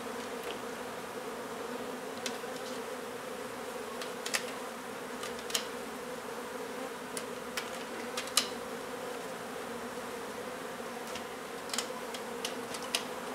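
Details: Colony of honey bees during a hive removal inside an old house being renovated in Donna, Texas, relocated safely; continuous even buzzing drone, broken by scattered sharp clicks and taps from the work.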